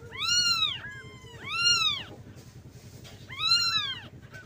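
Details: Cat. Young kittens cry with thin, high meows that rise and fall in a rounded arc, about one every second and a half. They are calling their mother for milk, over a low steady hum.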